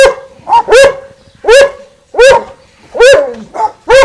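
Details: Barking match between two dogs, Winston and Popeye, at the garden fence: vigorous barks roughly every three-quarters of a second, with brief higher yelps tucked in between the louder ones.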